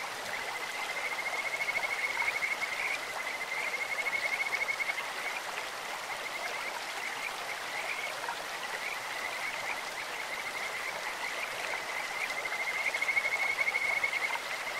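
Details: Kajika frog in a clear mountain stream with a high, musical trilling note. Pulsed bursts come near the start and again near the end, with softer calling between, all over constantly flowing water.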